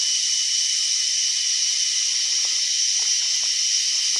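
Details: A cicada produces what the recordist calls a weird sound, a steady, high-pitched hissing drone that never pauses.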